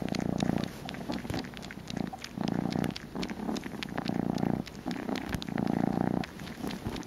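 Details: A kitten eager for a bottle purrs in a steady rumble, pulses rising and falling roughly every second and a half, with light clicks over the top.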